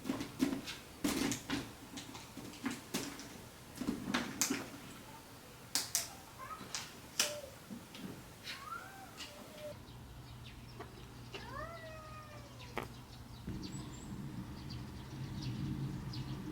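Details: Domestic cat Bongji during a gradual introduction to the other cats of the household, indoors: a few short arched, harmonic meows near the end, after a stretch of sharp clicking and tapping sounds and soft rustling.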